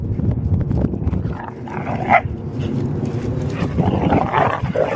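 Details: Deerhounds Art and Finn play fighting; low rumbling growls run throughout with a few short higher bark-like yelps breaking through, rough scuffling underneath.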